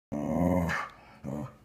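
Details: Dog at her perch by a window growling at another dog four stories below; a low rumbling growl lasting under a second, then a second shorter growl after a brief pause, with a woman's voice just after.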